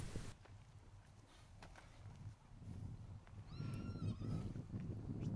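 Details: Four-year-old gelding horse, son of Let's Tango and grandson of Dock, trail broke; a brief high whinny with wavering pitch near the end, over low rumbling wind and ground noise.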